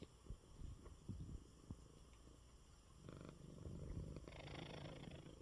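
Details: Male house cat Coco, unwell, lies purring in his bed after a good meal. The low, grainy purr is interrupted by soft bumps in the first half, then swells into a fuller, louder rumble toward the end.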